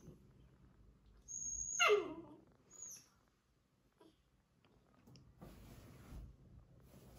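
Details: Indoors, a Labrador Retriever puppy scolds a person for disturbing him with a single high whine sliding steeply downward over about half a second, followed by quiet shuffling and faint rustling noise.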